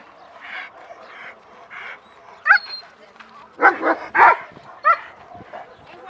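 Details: German Shepherds at a social training class on 6/20/20, reacting excitedly as the class begins. Sharp, loud barks arrive in irregular bursts, clustered near the middle and end, over a low murmur of people and softer background barking.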